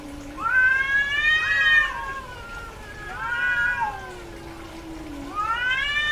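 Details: Female domestic cat in heat yowls repeatedly: three loud, rising, strained meows spaced about two seconds apart, linked by a low droning moan, each cry bending upward then trailing off.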